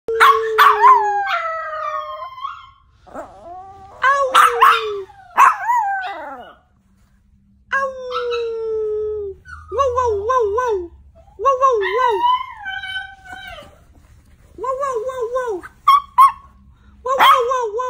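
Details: Yorkshire Terrier, a 'wolf yorkie', howling in long wavering tones that rise and fall, broken by sharp yelping barks, with brief silent pauses between bouts.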